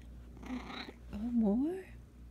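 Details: Indoor Russian Blue cat called Blue chatting: a soft breathy murmur followed by one drawn-out meow that dips and then rises in pitch, rich in harmonics, over a faint steady hum.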